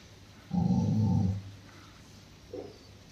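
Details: Roxy, a Rottweiler, growling in anger while attacking its owner: one deep rumbling growl lasting about a second, then a brief softer whine after a pause.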